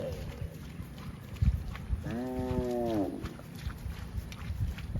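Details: Cow grazing in a field gives one steady, drawn-out moo about a second long, slightly arched in pitch, over constant low rumbling and scattered soft thumps.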